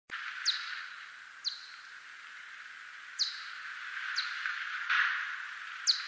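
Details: Steppe whiskered bat giving brief, steeply falling chirps at irregular intervals over steady hiss; 2020 recording.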